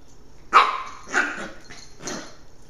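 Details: Carlton, a nine-week-old Pembroke Welsh Corgi puppy, plays with a new toy indoors and gives four short, sharp barks in quick succession over about a second and a half, the first loudest, with a quiet room behind.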